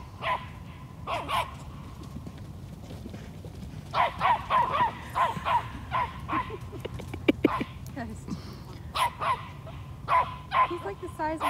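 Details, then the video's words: Small eight-month-old toy Australian Shepherd barking while herding a large Peruvian horse: clusters of quick yapping barks, with faint speech and a few sharp knocks between the bursts. "Six pound toy Australian Shepherd "herding" an 800 pound Peruvian Horse!"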